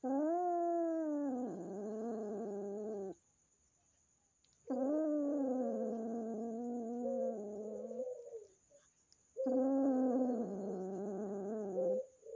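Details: At home, a newly adopted kitten meets the resident house cat and is still afraid. Three long, loud, wavering yowls of about three seconds each, separated by pauses of near silence, with a faint click in one gap.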